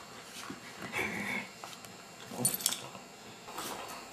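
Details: Abigail, a foster beagle indoors, gives soft high whimpers: a thin drawn-out whine near the first second, then a brighter, squeaky burst around two and a half seconds, all faint in a small quiet room.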